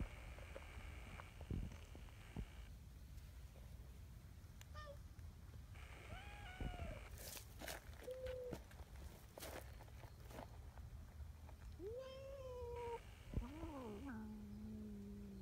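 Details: Nyahha, a talkative, affection-seeking brown tabby community cat at a cat gathering, gives several short harmonic meows that rise then fall. The meows are spaced irregularly, with a longer drawn-out one near the end. Sharp clicks and rustling sit over a low background rumble.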